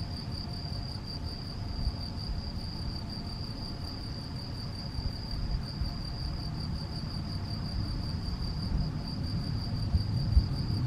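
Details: Male field cricket singing in Macieira da Maia, Vila do Conde, Portugal, on 7 May 2021, captured by a Canon PowerShot SX70 HS: an even, sustained high trill at unchanging pitch, accompanied by steady low wind rumble.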